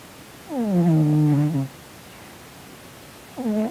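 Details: Male pet cat asleep, twitching and snoring, seemingly having a nightmare; a loud, low, moaning drawn-out sound falling then held for over a second, followed after a pause by the start of another similar moan.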